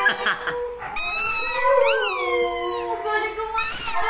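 A Siberian Husky gives a long, singing howl of sustained, clear tones. The notes waver and swoop up and down, with short, rougher yips at the start and the end.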